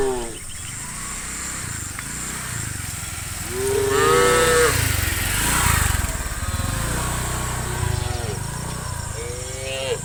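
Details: Tame cows in a herd of dozens, heading through a forest toward the farm pen one afternoon; a few arched moos sound midway and near the end over a rumbling, rhythmic low background, likely hooves on the ground.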